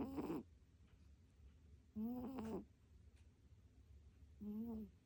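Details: A cat snores in its sleep, no added music: three short nasal, buzzy snore breaths, the first two about two seconds apart and the last softer, over a faint low indoor hum.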